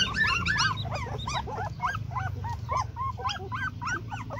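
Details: Dog during breeding, yelping in rapid arched whimpers about three per second, each a sharp rise then fall, with a low steady hum beneath.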